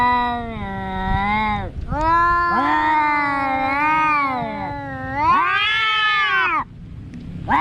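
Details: Wavering, prolonged cat yowls, four or five in a row, some rising and bending in pitch mid-call, loud and tonal, ending with an abrupt cut and a new call beginning.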